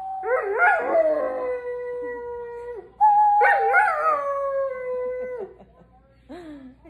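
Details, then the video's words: Doberman howling: two long drawn-out tonal howls, each starting with a wavering rise then holding a steady falling note for about two seconds, followed by a short fainter yelp. "Doberman howling"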